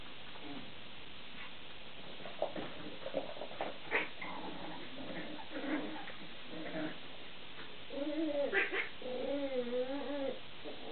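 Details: Chihuahua puppies from the Mari Mystic kennel whine in high, wavering, rising-and-falling cries near the end, after scattered soft yelps and squeaks, with a woman's voice speaking softly in the background.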